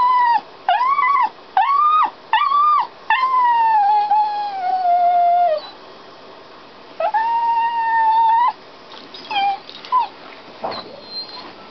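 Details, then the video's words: A dog shut inside a canal boat as its owners are out doing locks, crying in short rising yelps, then a long sliding howl, a steady wail, and fading whimpers at the end. "Dog Crying"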